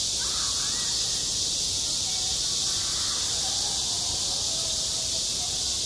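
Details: Cicadas droning across a school yard in the heat of summer: an even, high electric buzz, with a few faint, short, bird-like calls heard early and toward the middle.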